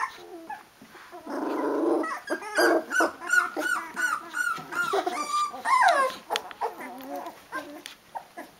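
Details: Sixteen-day-old Rhodesian Ridgeback puppies calling their mum for food; a harsh buzzy grumble opens, followed by overlapping thin whimpers and squeals, one louder falling whine near the end.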